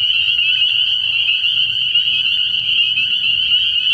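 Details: Spring peepers in full night chorus at an early-year frog pond, countless overlapping high peeps merged into one continuous shrill ring, with a soft low rumble beneath.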